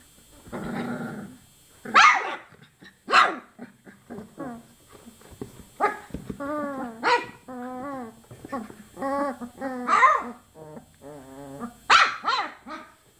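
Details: Young chocolate Labrador Retriever puppies, 24 days old, mix sharp high yelps with a run of wavering, up-and-down whines repeated every second or so, plus short growls.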